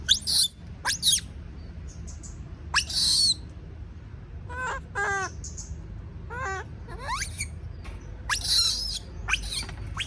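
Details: Young monkey screaming in fear of being left alone, mixing abrupt high squeaks and rough shrieks with several wobbling, descending harmonic cries in the middle of the stretch.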